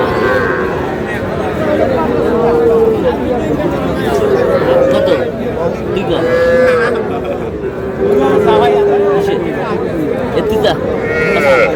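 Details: Small bull and heifer calves, around three months old, at a cattle market in Madaripur on 28 March; several long, steady moos recur every two seconds or so amid constant bargaining talk from a crowd.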